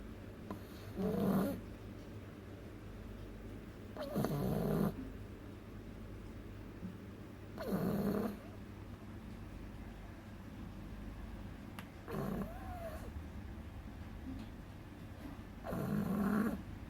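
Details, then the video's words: A two-month-old beagle puppy named Agatha sleeps and snores heavily. Five coarse, rattling snores repeat every three to four seconds, with quiet breathing gaps and a faint constant hum between them. "Beagle cachorro roncando"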